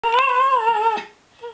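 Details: Theo, a pet Cairn Terrier, sings indoors to get his ball thrown: one steady, smooth howled note lasting about a second with a slight wavering pitch, then a brief fainter second note.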